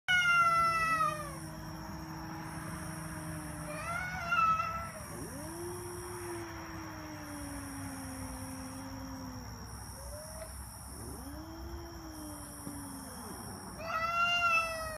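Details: Cat giving long drawn-out meows, each sliding slowly downward in pitch, four or five calls spread over fifteen seconds, with a steady electronic hum and rhythmic pulsing hiss in the background.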